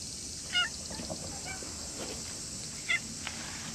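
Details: Stray cat in the grounds of a shrine in the evening, growing friendly and affectionate: two short, clipped meows, one near the start and one about two seconds later, over a steady high-pitched buzzing background.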